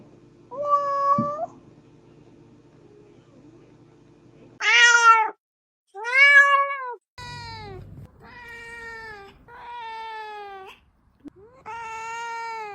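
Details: Kittens at play meowing: a lone flat meow, a pause, then a string of six loud harmonic meows, some arched and some level, spaced about a second apart with brief silences between.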